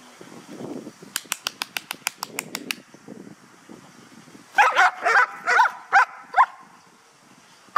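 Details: Guard dog in a protection training exercise at a kennel in Hà Tĩnh, Vietnam, guarding an object: a quick run of sharp clicks, then five loud barks over about two seconds, with murmured voices early on.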